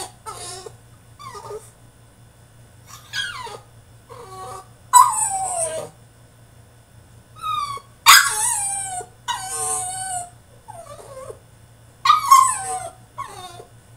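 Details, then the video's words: Male French Bulldog throwing a tantrum in his cage: bursts of high, wavering whines and sharp rising-falling yelps, separated by short pauses, some bursts loud and harsh, with a steady low hum underneath. "FRENCH BULLDOG THROWS TANTRUM IN HIS CAGE!!"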